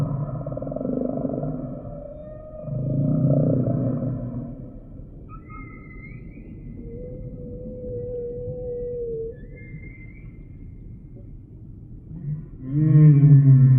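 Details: Singing humpback whale: low grunting moans give way to a long steady tonal note and two brief high squeaks, then a loud booming low groan at the end, with quiet ocean rumble between.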